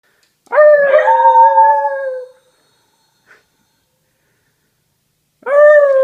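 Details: Female whippet, a pet dog, howling: a steady tonal howl near one pitch lasting under two seconds that cuts off abruptly, a brief faint sound, then silence before a new howl begins at the end.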